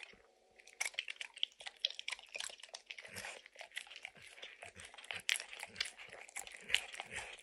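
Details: Dog named Max snacking on peanut butter and kibble from an orange lick mat: a brief quiet start, then continuous sticky lapping and sharp crunchy bites, irregular and close, no voices.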